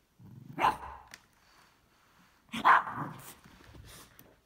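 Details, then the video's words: Cavalier King Charles Spaniel Isabelle barking at a vacuum cleaner while jumping around it with her favorite toy ball: two sharp barks about two seconds apart, each with a short trailing yip, over faint household noise. "Dog reacts to vacuum cleaner"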